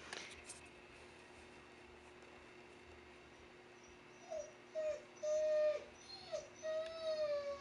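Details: Siberian Husky throwing a fit over the rain: about four seconds of near silence, then a run of five or six nasal whines and yelps, some held and level, others bending up or down.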